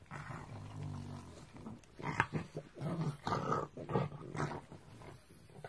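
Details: A pug growls angrily, a low rumbling snarl broken into bursts, after another pug steals its snack and ignores it.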